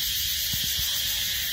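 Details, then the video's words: A loud insect producing a continuous, hissing high-pitched buzz that holds steady throughout, with a few brief low thumps near the middle. "Loud insect"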